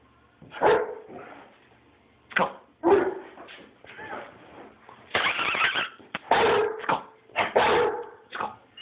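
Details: Rhodesian Ridgeback dog barking indoors: sharp, irregular barks and short yips in scattered bursts, a dense cluster of louder barks in the second half, with a faint thin whine between some bursts.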